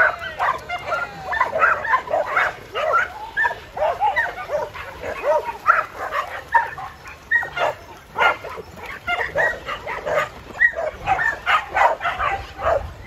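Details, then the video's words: On the farm, Jed, a nearly seven-year-old tri-colour Border Collie who loves to herd, keeps barking to keep everyone on schedule. Quick, rough barks come in uneven bursts, some of them close together. "Jed the Border Collie likes to keep us on time!"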